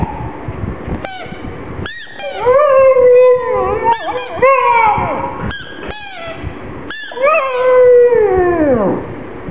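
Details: Black pug, a mascot dog, crying because it feels sad for a little ball: drawn-out tonal whines held steady then sliding downward, several bouts separated by short gaps and sharp clicks.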